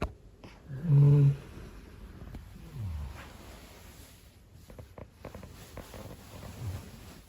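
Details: Large Labrador Retriever snoring loudly indoors: a deep, low rumbling snore near one second with a stacked harmonic buzz, followed by softer low breathy snores around three and near seven seconds, with faint clicks and rustling between.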